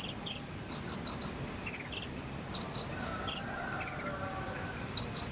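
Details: Cililin cricket chirps of the jangkrik sambung type, meant as a song model for konin birds: sharp, piercing pulses grouped in threes and fours, separated by short pauses against a faint hiss.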